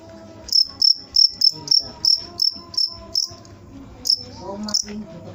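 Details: Shrill cricket chirps come rapidly, about three per second, then slow and grow irregular toward the end, with faint murmuring tones in the background.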